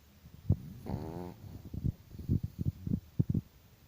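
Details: Chihuahua dog snoring: a brief nasal whistle followed by a run of quick, low, clicking snorts and puffs, about six in one second.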